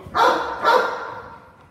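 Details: Cane Corso barking during a home invasion role play, guarding as a person stands back at a distance; two loud deep barks about half a second apart, the second trailing off.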